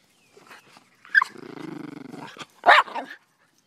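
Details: Daisy and Rose, two Miniature Pinscher and Rat Terrier mixes, playing fetch: a sharp bark, then a steady, pulsing low growl lasting about a second, ending in another loud bark and a short yip.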